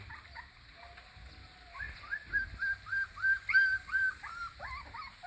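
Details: Crying in its crate, a puppy gives a rapid run of high whines, each rising then falling, about three a second and quite regular. Low rumbling sits underneath.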